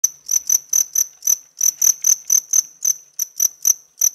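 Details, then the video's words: House-bred cricket chirping close up, sound made with its hard outer wings: sharp high pulses repeated about three to four times a second, fairly steady with brief gaps. "Cricket Chirping Close Up Cricket Sounds"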